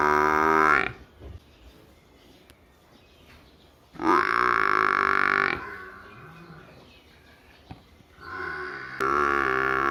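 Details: Village buffalo calf bawling three times. The calls are short, rich and nasal, each about a second long, separated by quiet gaps with faint low grunting.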